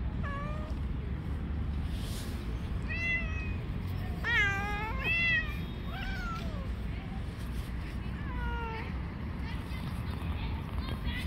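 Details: Street cats fighting, one cat attacking others outdoors; a series of harmonic meows, some rising then falling, strongest near the middle, over steady low-pitched background rumble.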